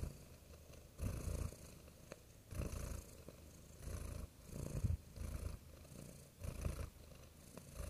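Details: Quiet purring of a cat, low steady rumble rising into louder pulses roughly every one and a half seconds over a faint hiss.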